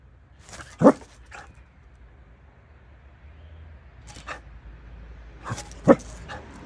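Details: Dachshund at home trying to get its owner to play, giving a few short muffled barks and huffs spread across several seconds over low room noise.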